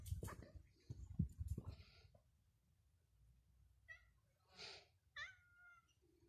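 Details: Cats on the street Calle de la Cuesta; after a stretch of low outdoor rumble and knocks, a few thin, wavering meows rise and fall, the last one drawn out.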